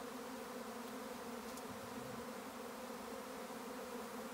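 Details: Honey bees swarming in May on an Irish farm in County Kilkenny; a steady, thick buzzing drone of many insects at once, with a faint click partway through.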